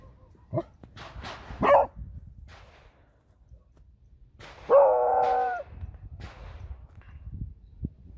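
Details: Female beagle on a walk along a nature trail, reacting to shots from a firearms and hunting club practising at a nearby range: two sharp barks, then a drawn-out, wavering harmonic howl, with faint rustling between calls.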